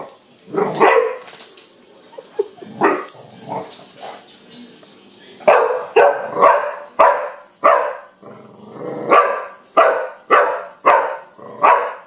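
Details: Young Pit Bull Kenya barking at a wind-up toy bug; a few scattered yips and barks at first, then a rapid series of strong barks spaced about half a second apart.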